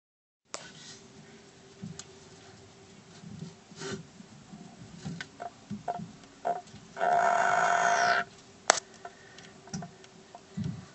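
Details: A male African bullfrog (pixie frog), angered and puffing himself up, exhales in a single loud, harsh, wheezing, fart-like blast of about a second as a distress call.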